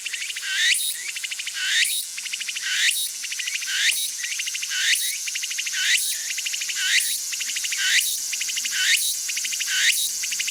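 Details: Walker's cicada (tsukutsuku-boshi) calling: a shrill, high pulsing buzz rises into a sharp accent roughly once a second, repeated about ten times in a steady rhythm, with no other clear sounds.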